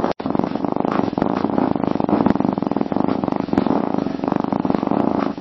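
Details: A cat's gentle, rhythmic purr, made for self-calming and to show it feels well: a quick, buzzing low vibration that pulses steadily and fades slightly between breaths.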